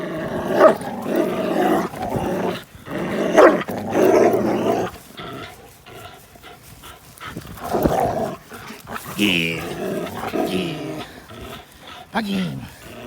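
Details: Two dogs at play, Linus, an American Pit Bull Terrier, and Buddy, a blue Belgian Malinois cross, recorded April 1, 2019. Rough rumbling growls fill the first five seconds, and short whiny yelps and harmonic barks come later.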